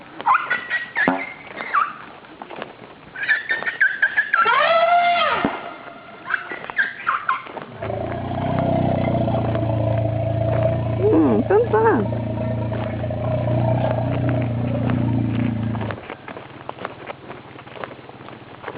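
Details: A frightened female Asian elephant named Pumpuang makes a big noise before bathing with her step-son Boomlong while her mahout calms her, 27 September 2012. Bursts of arching, harmonic squeals and cries open the recording, then a deep engine hum takes over.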